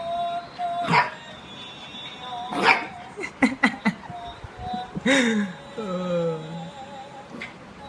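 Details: A 2-month-old golden retriever puppy barks at his friend, giving a few scattered barks, one trailing into a falling whine-like tone.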